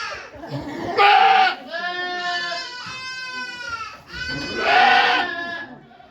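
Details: Okayu, a goat at Yoshigake farm, giving birth to two kids on 3 May 2023 while volunteers watch: long, wavering harmonic bleats, one loud and strained, then a steadier drawn-out cry, then another loud bleat.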